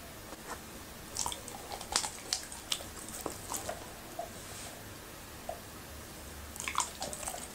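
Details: Happy, a Labrador retriever, eating okra and raw meat indoors; crisp biting and crunching bursts cluster between one and three seconds, then return near the end, over a low steady room hum.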